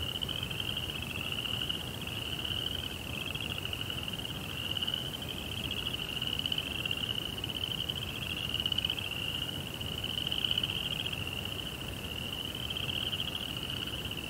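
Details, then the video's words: Crickets at night in a Japanese Zen rock garden with a koi pond: a steady, high, shimmering trill that runs continuously, pulsing slightly in loudness, over a soft low background hiss. "Cricket Sounds"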